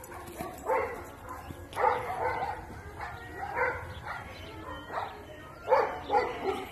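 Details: Repeated dog barking, single and doubled barks spaced one to two seconds apart, each a harmonic burst, with faint speech and low background noise between them.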